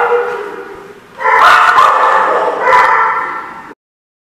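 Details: Dog barking recorded on October 24, 2014, in loud, rough overlapping bursts near the middle and again around the third second, over a constant dense, echoing din of more barking and noise.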